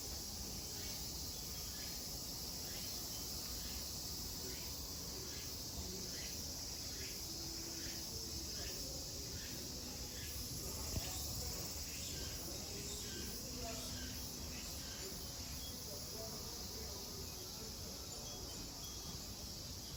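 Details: Cicadas at Kozoji Temple (Takakura Kannon) in Kisarazu, Chiba, Japan, fill the air with a dense, steady high buzz, with rapid repeated pulses rising above it.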